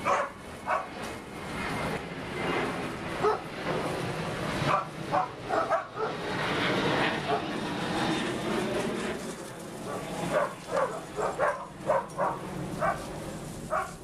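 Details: A group of big dogs, including Birdie, Roxy, Hogan, Beau and others, playing together in a pool on 6/8/11; repeated sharp barks in irregular bursts over steady splashing and water noise, with a voice in the background.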